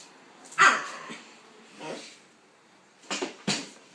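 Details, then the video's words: Pitbull and King Charles spaniel playing together indoors; a few short, sharp, fairly quiet barks come singly, about one near the start, one mid-clip and two quick ones close together at the end. "Pitbull vs king charles spaniel"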